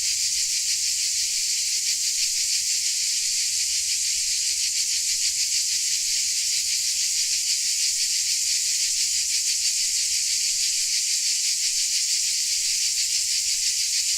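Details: Dalmatian crickets heard as an unbroken, bright, hissing chorus at an even loudness throughout, with a fine quick pulse woven into the high-pitched wall of sound; nothing else stands out.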